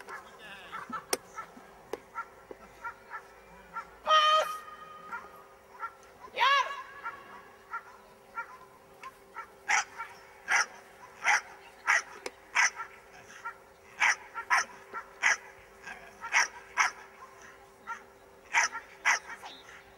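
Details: Miniature English bull terrier during a defence training class, giving a long run of short, sharp barks about every half second in the second half, after scattered earlier sounds, with faint background hum.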